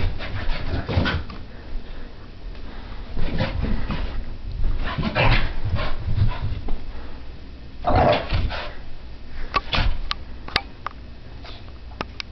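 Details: Sophie, a French Brittany spaniel puppy, tearing around a living room during a frantic random activity period: short rough bark or growl bursts roughly every two seconds over thudding paws, with a few sharp clicks near the end.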